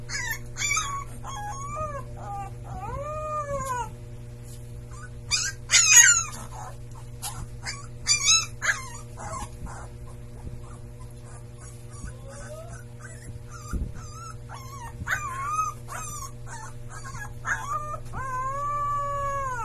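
A Siberian Husky puppy gives thin arching howls that rise and fall, mixed with high yips and squeaks.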